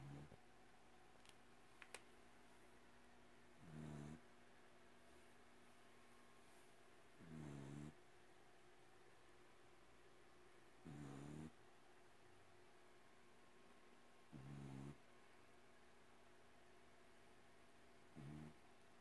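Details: A domestic cat fast asleep and snoring, recorded indoors in a quiet room: five gentle, low, buzzy breaths spaced about three and a half seconds apart, steady and soft.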